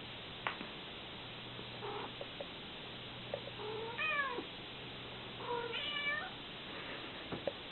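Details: Domestic cat, a mother with her kittens, hugging and licking them as they try to escape; a few short harmonic meows, then two rising-falling mewing calls in quick succession, and a later pair of shorter meows over steady low room hum.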